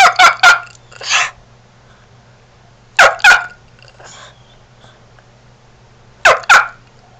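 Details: Four-year-old male Shih Tzu with an unusual bark likened to a chicken, turkey or rooster; loud paired honking barks in three bursts about three seconds apart, with a steady low hum beneath.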